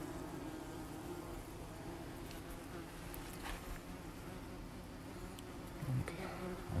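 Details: German wasps swarming at their nest beside a gate give a dense, unbroken low buzz that holds steady for several seconds, with a faint clatter at the end.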